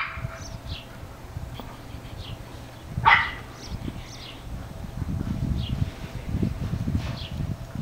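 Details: An English Bulldog puppy playing outside gives a single short, sharp bark against low rumbling background noise.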